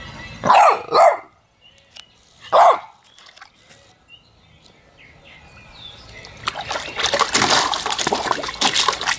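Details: Dog named Loki playing in a puppy pool gives three sharp, high barks in the first three seconds, followed by quiet moments and then loud splashing water.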